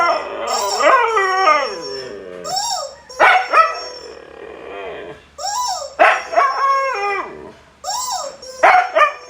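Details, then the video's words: Siberian Husky howling while being annoyed with a new toy; wavering, harmonic howls rising and falling, broken into short bursts of about a second each, with music in the background. "Annoying our dog with his new toy."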